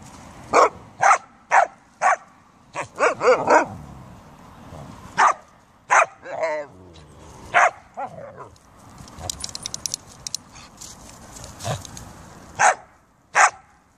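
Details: Household Siberian Huskies and Samoyed in beautiful weather; repeated loud, sharp barks arrive roughly every half second to second, with a brief wavering yodel-like vocalization midway and a patch of faint clicking and rustling before the final barks.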